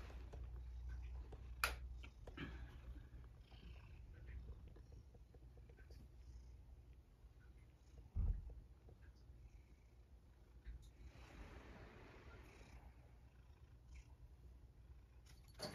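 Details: Sacchan, a male rescued cat living at Kazeno Kobo with an elderly woman, purrs around dinnertime: a steady low rumbling purr runs throughout, broken by a sharp click and a thump midway and a brief rustling hiss later.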